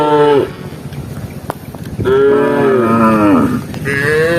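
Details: Cattle roaming a rice field looking for grass, tame herd animals: a short moo dropping at the end, a pause, then a long wavering moo that slides down and a third rising moo.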